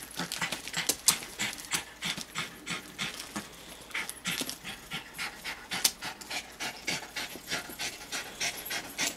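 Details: Female dog panting while painting with oilstick in her home studio in Clinton Hill, Brooklyn, New York, on March 9, 2012, her son nearby; rapid, breathy, irregular huffs, about three per second, mixed with scratchy rubbing on paper.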